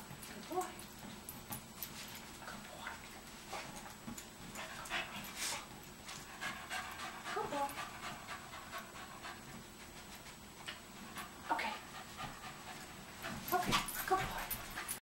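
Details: Soft-coated Wheaten Terrier sitting on a fit ball, panting in irregular breathy bursts spread through the recording, with people talking nearby.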